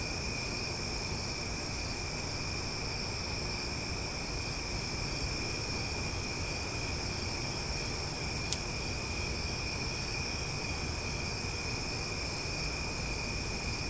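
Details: Cicadas heard at night in Omaha, loud yet relaxing: a constant shrill droning chorus with sustained high tones throughout, one brief sharp click midway, and a low rumbling background.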